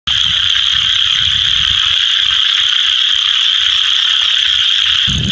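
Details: Scaber's toads calling all around the edges of a small pond, yellow vocal sac inflated, give a steady, shrill, buzzy trill of rapid even-pitched pulses, unbroken throughout, with faint low rumbles behind.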